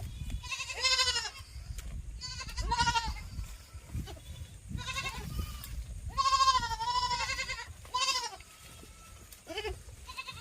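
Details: Goats kept on a farm bleating repeatedly, with several loud, quavering, nasal bleats spaced about every one to two seconds, some long and wavering, over a steady low background hum.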